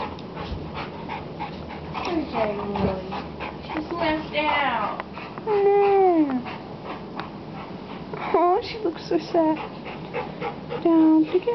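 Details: Playing dogs give high, wavering whimpers and whines that slide up and down, with short yips, panting and a human voice mixed in.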